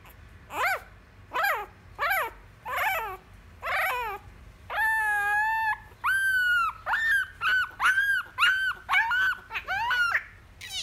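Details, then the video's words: Male Miniature Schnauzer puppy Fantom throwing a fit while carried: a rapid series of high, wavering whines and yelps, roughly one every second, some drawn out and tremulous, others short and sharp. "Fantom doesn't want to be picked up!"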